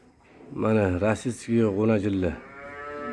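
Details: Russian Simmental calves offered for sale, indoors: two drawn-out, low, harmonic moos, the first wavering and the second rising then falling, separated by a brief break, with a quieter tonal hum lingering afterwards.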